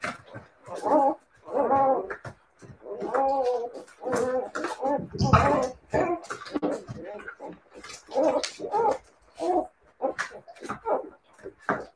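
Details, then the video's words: Several Siberian Husky puppies crying out in drawn, wavering howl-like whines, one after another, with a gargling, growly burst midway and soft voices in the background. "siberian husky puppies"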